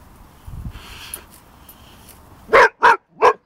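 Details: Boxer dog Pepper meeting his first hedgehog: after quiet rustling, three loud, sharp barks in quick succession near the end, each about a third of a second apart.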